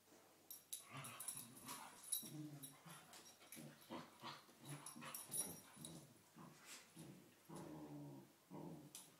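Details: Two cocker spaniels play fighting in the morning: rough, throaty growls in quick bursts with rising and falling snarls, nearly continuous, plus short whines and scuffling between bouts.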